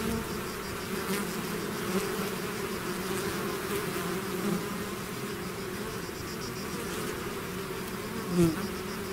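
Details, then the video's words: A swarm of bees out of its hive fills the air with a constant low buzz; near the end a single bee flies close, giving a sharp, louder rising buzz over the massed drone. "bees therapy swarm natural buzzing sound"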